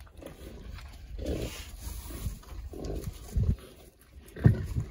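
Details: Berkshire pigs at a parasite treatment before winter, rolling about contentedly, give short, deep grunts, scattered singly and in small bursts, with a louder grunt near the end.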